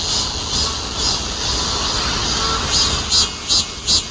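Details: Cicada calling: a steady, dense high-pitched buzz runs throughout, with a few louder pulsing swells near the end and a faint low rumble beneath.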